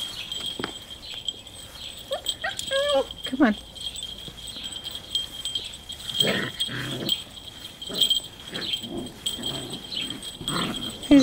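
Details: Puppies six weeks old, struggling with their first collars, let out a quick series of sliding, wavering whines, then quieter yelps. A woman talks and coaxes them, and a constant thin high tone rings throughout.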